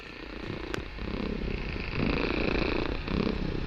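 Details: Kitten named Barsik purring loudly indoors during a relaxing session; a steady low rumbling purr alternating between inhale and exhale phases, with a brief click near the start.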